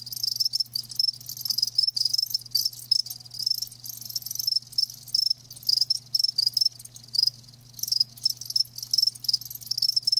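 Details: Live crickets chirping in dense, rapid pulses of high, bright sound, short bursts repeating several times a second with brief gaps, over a faint steady low hum.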